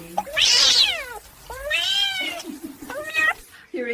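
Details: A kitten playing with a baby makes three or four clear meows, long harmonic cries that rise and then fall, the first loudest and highest, with a short meow cut off at the end and quiet room background.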